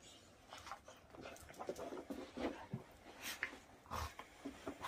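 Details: Two Basset Hounds indoors playing bitey face, facing off; short scattered growly grunts, whimpers and snuffles with panting, irregular bursts through a small room.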